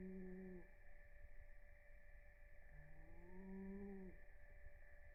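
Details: A sleeping rescue cat named Blue snores during REM sleep: two low, humming snore tones, the second longer, separated by a quiet pause, with a constant electrical drone underneath.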